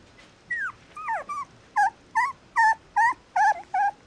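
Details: Mixed-breed puppy whimpering: nine short tonal whines, the first sliding steeply downward, later ones steadier and louder, coming about every 0.4 seconds over a quiet background.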